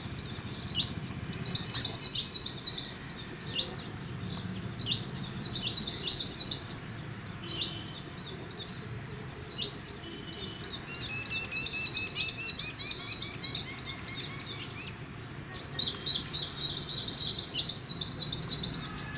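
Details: Indian palm squirrel eating pomegranate, giving bursts of sharp, high chirps in quick runs of about three per second, with pauses between bursts and a faint low rumble of background noise.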